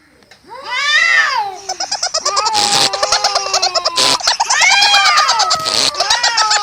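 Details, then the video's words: Cats fighting: two rising-and-falling harmonic yowls at the start and near the end, separated by a stretch of rapid pulsed, crackling sounds and sharp broadband bursts, indoors. "Cats Fighting with sound"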